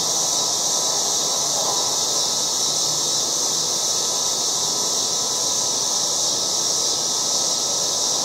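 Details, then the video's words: August cicadas massed in a yard produce a loud, even, hissing buzz that never lets up, the high band constant from start to finish. "LOUD AUGUST YARD CICADAS"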